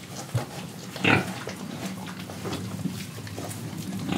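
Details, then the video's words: Indonesian pig letting out one loud, harsh grunt early on, followed by softer low snuffling and rustling. "Pig Sound Effects Oink Oink, Breathing & Eating"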